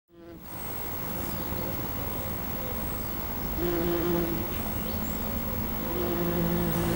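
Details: Wild honeybees foraging over a wildflower meadow: a low, droning hum over a steady rushing background, with a clearer, steadier buzz swelling in twice toward the end and faint high chirps above.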